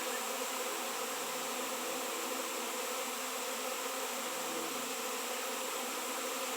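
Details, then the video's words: Honey bees swarming massively on a raw 7 lb shungite stone, in a place without honey bees for years: an even, grainy, persistent buzzing drone that never pauses. "Shungite honey bees swarm"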